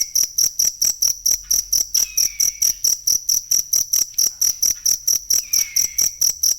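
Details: Cricket recorded for songbird training (masteran): bright, ringing high chirps repeated rapidly and regularly, with two faint downward-sliding whistles from a bird in the background.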